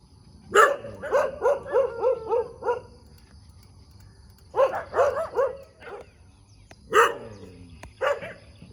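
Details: Dog barking in the morning in the middle of a road: rapid runs of sharp, harmonic barks in clusters of five or six, a pause, then shorter bursts and single barks near the end.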